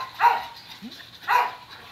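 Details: Shelter dog Kato, a four-and-a-half-year-old male Thai Ridgeback, during a first touch with a stranger: two sharp, hoarse barks about one second apart, with a soft whimper between them.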